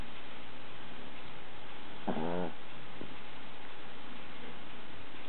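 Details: Deep, droning snore from a dog, overlaid by a brief quavering, pulsed snort halfway through and a faint second catch a second later, all under constant hiss.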